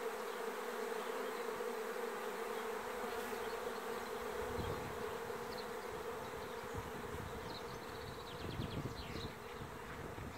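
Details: A honey bee swarm recorded on 27 May 2016 gives a dense, continuous droning hum at a steady mid pitch, with many overlapping wingbeats and faint flickers of individual bees passing close.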